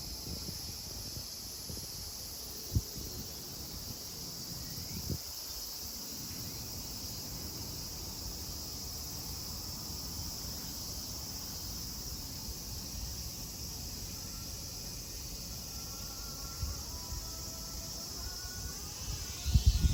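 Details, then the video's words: Cicadas at Kozoji Temple, the Takakura Kannon, in Yana, Kisarazu, Chiba, Japan: a steady, unbroken high-pitched drone fills the grounds, with a few faint knocks and rustles and some louder clatter near the end. "JAPAN TEMPLE & CICADAS SOUND"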